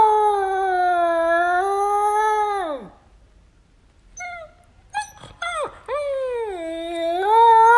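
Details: Young puppy howling for the first time: a drawn-out steady howl that slides downward and fades, a pause with faint short yelps, then a second rising, wavering howl.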